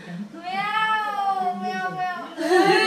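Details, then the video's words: A hidden cat, sought by people indoors, gives one long drawn-out meow of about two seconds, steady and slightly arched in pitch, then a harsher, louder burst at the end; low human voices underneath. "Finding meo meo"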